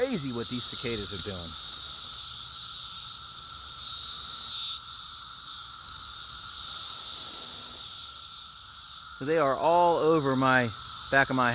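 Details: Massed cicadas present in great numbers keep up a continuous shrill, hissing drone with slight swells in loudness, while a person talks over it at the start and again toward the end.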